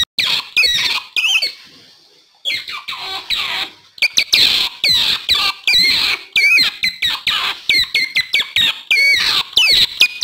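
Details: Calls of an otter, used to attract wild otters: a dense stream of high, squeaky chirps, some sliding up and down, with a short lull of fading, rustling sound near the start.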